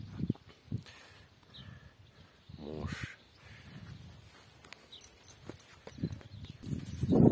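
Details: Stallion Last, suitor of the mare Vishnya, gives a brief harmonic whinny that slides downward over about half a second, set among muffled thuds, rustling and low outdoor noise.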